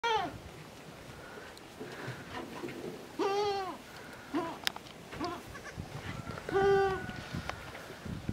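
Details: Miniature goat kids, the farm's first of 2019, bleating in short wavering cries with clear harmonics, several separate bleats spaced a second or two apart, with faint rustling and quieter background noises between calls.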